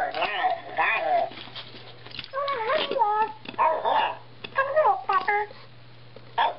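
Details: A husky playing fetch with a talking ball toy gives drawn-out, wavering whine-like vocalizations in short bursts that bend up and down in pitch, mixed with speech-like sounds.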